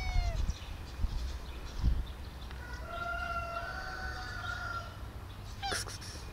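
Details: Pet cat Sweet Bun, meowing at length while her owner fails to understand: a falling meow, then a long steady wail of about two seconds, with a few soft bumps and a hushed room hum.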